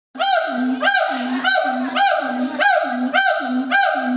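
A siamang calls in a fast run of loud, harmonically rich barks, each rising sharply then dropping. The notes come about every half second with a hoarse, honking quality and little else in the background.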